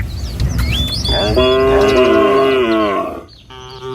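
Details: Village cattle from a tame herd walking to a field in the morning. One long, loud, steady moo lasting about two seconds, rich in harmonics, preceded by a brief bird whistle and followed by quieter ambient sound.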